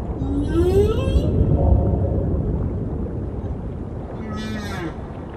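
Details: Male humpback whale singing as a passing female lingers, before a courtship display: a faint rising moan, a pause of steady underwater rumble, then a second higher, brief whine with faint upper harmonics.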